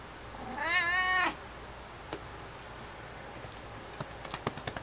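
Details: Domestic cat meowing louder while being patted on the rump: one loud, drawn-out wavering meow lasting under a second, followed by quiet room tone with a few small clicks and taps.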